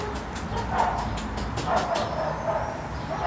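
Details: Scottish Terrier brothers yapping in quick, short bursts about five per second, each bark sharp and mid-pitched, with a steady background murmur and faint human voices.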